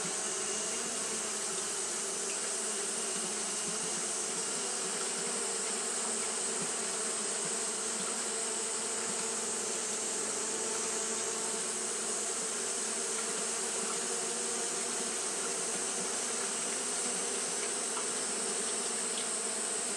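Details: On a hot day, Japanese honey bees keep fanning without pause: a constant buzzing drone, level and unvarying across twenty seconds, with a persistent high-pitched hiss on top.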